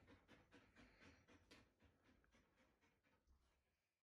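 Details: A nearly two-year-old Siberian Husky, worried when her owner hides under the bed covers, growls in short, rough, breathy bursts, repeated about twice a second. Siberian Husky.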